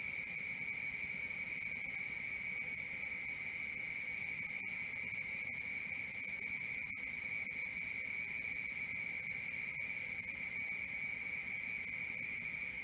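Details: Nighttime cricket chorus: an unbroken high trill pulsing evenly about four times per second, with a second steady buzzing band beneath it and a few faint clicks.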